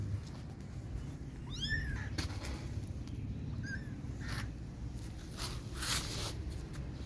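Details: Kittens crying for their mother and calling for milk: two short, arched, rising-then-falling mews, with a steady low rumble and a few clicks and knocks behind.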